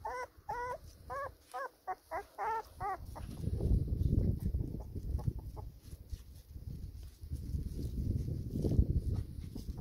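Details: Pedigree black Labrador Retriever pups, four weeks old, feeding beside their mother in the sun; about eight short high whiny yips in the first three seconds, followed by low shuffling and rustling noise.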